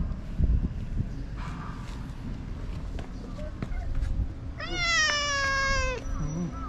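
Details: Stray cat in Japan, affectionately rubbing against a person and seeking attention, gives one long, clear, tonal meow of about a second and a half that holds steady and then dips at the end; quiet human speech and background rustling come before it.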